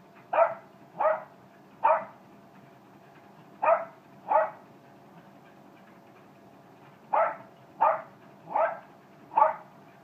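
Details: Male Jack Russell terrier giving quick bursts of sharp barks: four in fast succession, then two more, a pause of about three seconds, and a final run of four, with a faint hum underneath.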